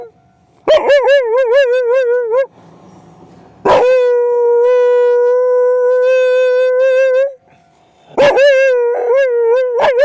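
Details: Night howling by Mari, an Akita set off by a railway crossing's sound. Quavering, wobbling howls lead into a long even howl of roughly three and a half seconds, then more wavering cries. A low rumble is heard briefly.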